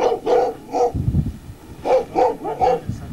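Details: Central Asian shepherd dog in Tajikistan, April 2001, barking as visitors reassure its owner: three quick, mid-pitched barks, a pause with low rumbling noise, then four more barks in a similar rhythm.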